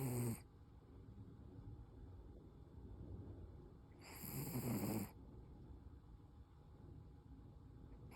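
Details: Koro, a Toy Poodle, snoring in sleep: a snore ends at the start, then a louder, raspy, fluttering snore of about one second arrives near the fourth second, quiet between.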